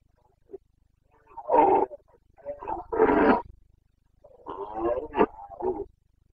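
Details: Carpathian red deer stag roaring during the breeding season in the forests of Bucovina, Romania; deep raspy bellows, then a longer broken roar ending in choppy grunts, about six seconds of steady calling.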